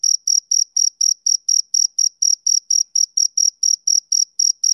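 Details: Male cricket chirping as heard on summer evenings: steady rhythmic high-pitched pulses, about two per second, each a short bright trill with a faint higher overtone, no other sounds.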